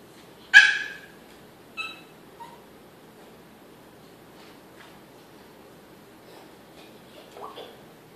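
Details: Diesel, a Yorkshire Terrier behind a baby gate in Maryland, frantic to reach his big Pitbull sister Jazmin: one sharp loud bark, then a few softer high yips and a brief whine separated by long quiet gaps over faint background hum.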